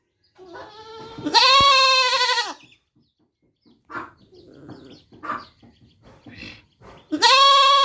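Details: Goat kid giving a long nasal wavering bleat, then soft scattered shuffling and small noises, ending with another loud strained baa.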